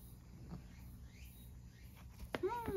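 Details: Saa-chan, a rescued male cat presumed born in spring 2019, kept at a gallery in Higashiomi, Shiga, Japan, on day 337 of walks with grandmother in spring 2023; a single short arching meow rises then falls at the end, after quiet outdoor background.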